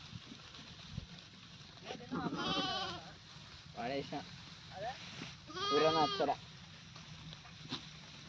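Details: Goat calling three times in quick succession, each bleat wavering and quavering in pitch, the last one the loudest and longest, with quieter background murmur between calls.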